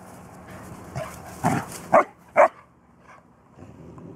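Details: A three-month-old Bernese Mountain Dog puppy tries to get a 14-year-old mixed-breed dog to play, filmed June 7, 2014. Three short, sharp barks come about half a second apart, followed by soft rustling and faint movement.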